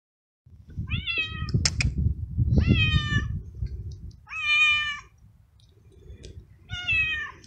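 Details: Young male stray kitten living in a city garden, fed and wanting to be petted; four loud drawn-out meows with rich harmonics, each about a second long, over low rumbling purr-like noise and handling sounds.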